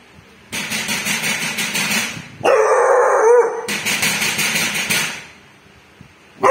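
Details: Bull, a dog, barking at a thief: a sustained harsh bark followed by a strained, whining tonal cry, then more rough barking fading toward the end.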